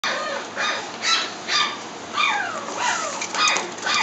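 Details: Dog giving short, high yelping barks with a falling pitch, about two each second and uneven in spacing, over a steady background hiss.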